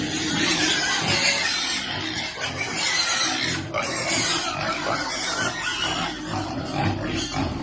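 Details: Piglets waiting to eat at feeding time, giving a dense, continuous chorus of shrill squeals and grunts that overlap without pause across the whole stretch.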